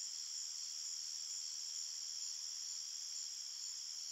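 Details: Crickets calling at night in woodland, a constant thin, high-pitched trilling hum that holds steady from start to finish.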